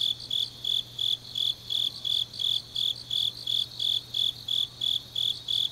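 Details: Deep autumn night in Changnyeong, South Gyeongsang, Korea: grass insects give crisp, high-pitched chirps in a regular train of about three per second, with softer overlapping callers and a low constant hum.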